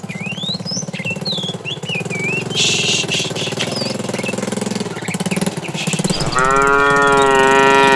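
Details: Tame cattle herd starting morning activity, roaming in search of food; shuffling, rumbling movement noise dominates before one loud, long harmonic moo enters near the end, with small birds chirping throughout.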